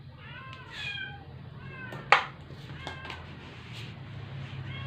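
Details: Sick rescued stray cat kept indoors, not eating for twelve days and near death after a vet visit: faint, drawn-out, wavering meows repeat weakly, broken by one sharp click near the middle, over a steady low hum.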